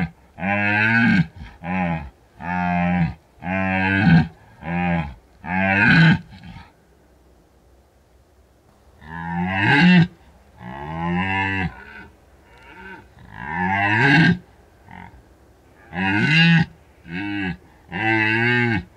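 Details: Red deer rutting in the mountains of Bucovina, recorded by a drop rig left out for about a week; rapid trains of deep, throaty roaring grunts, several in a row, a lull, then another series.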